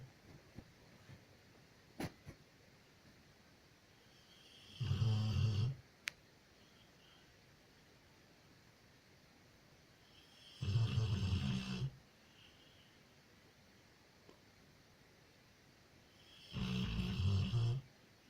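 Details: Loya, a female Labrador retriever, snoring while asleep indoors, often for half the night. Three low, rumbling snore bursts, each about a second long, come roughly every six seconds, with quiet breathing in between.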